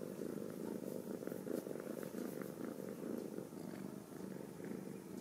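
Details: Ragdoll kittens from a home cattery in central Kansas, raised without cages, purring steadily: a continuous low rumbling throb with fine rapid pulsing, unbroken for the whole stretch, indoors and otherwise quiet.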